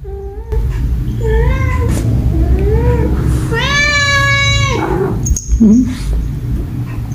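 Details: Domestic cat meowing, said to be angry at another cat: several drawn-out harmonic meows, one long loud wavering wail near the middle, over low indoor rumble and background music.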